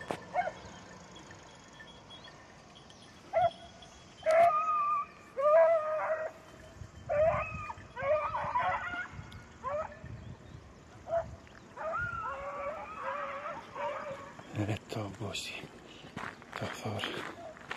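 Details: Red and blue tick and lemon-white beagles on Crete island in 2022 during hare hunting practice. Repeated short, harmonic baying yelps, some rising then falling, come in bursts every second or two, with rustling and footfalls between calls.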